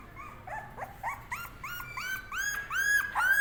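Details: Puppies offered for sale in India give a quick run of high, whining yelps, each a short arched note, about nine in three and a half seconds, growing louder and more piercing toward the end.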